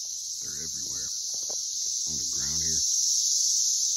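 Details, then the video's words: Swarming Brood X periodical cicadas around a tree, their continuous high, shrill screech droning throughout while a man talks twice in the middle. "loud tree full of cicadas"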